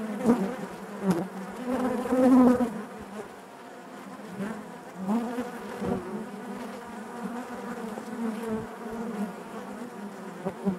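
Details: Colony of honey bees buzzing inside the hive, an even murmur with louder swells near the start and scattered tapping sounds throughout the hum.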